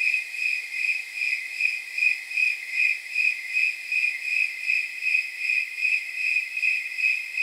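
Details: Snowy tree crickets chirping in unison on a night judged near 79 degrees by counting chirps; a ringing, jingle-bell-like pulse repeats at an even rate of about two and a half per second over faint hiss.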